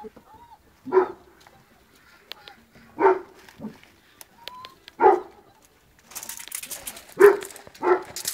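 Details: Pet dogs playing on an outdoor assault course; several low, hoarse barks spaced about two seconds apart, with a few brief whines and a person's voice between them.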